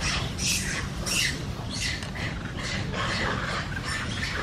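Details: Angry baby monkey giving harsh, squawking screams in quick bursts, roughly one every half to one second, over a steady low rumble of background noise.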